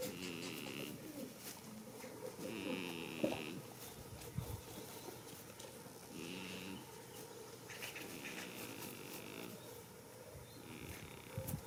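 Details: Goat asleep outdoors in a field on the first day of spring, snoring steadily. A series of buzzy, rattling breaths repeats at uneven intervals of two to three seconds over soft background rustle and a brief knock.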